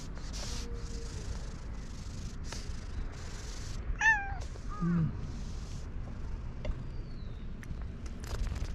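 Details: Stray cat, a gentle and very fluffy 'pink' cat, gives two short, falling, slightly wavering meows near the middle, over a low steady rumble with a few faint clicks and taps.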